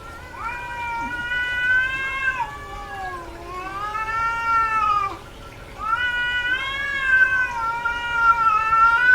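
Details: A female domestic cat in heat lets out long, sustained wavering yowls that slide slowly up and down, three drawn-out calls with a brief low moan between, over a faint steady hum.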